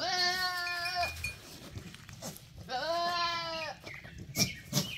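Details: Male goat giving two drawn-out, nasal bleats about a second long each, the second bending upward then down, with quieter shuffling noises and light background sounds between calls.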